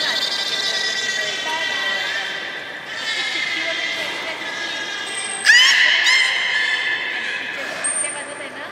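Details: Young belugas at Port of Nagoya Public Aquarium during a pool transfer and play session give sustained bright whistles, then a sharp upward sweep, some sudden high squeaks and a thin very high tone, in a reverberant space.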